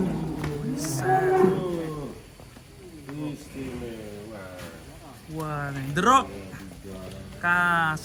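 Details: Giant cattle rampaging as they come down from a truck: low, drawn-out harmonic moos, one near the start and another rising into a strained bellow around six seconds, with men's voices and shouting mixed throughout.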